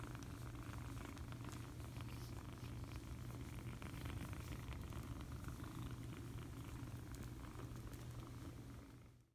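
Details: Foster kitten purring while being cuddled: a steady, continuous low rumble lasting the whole stretch without pause, fading out only at the very end.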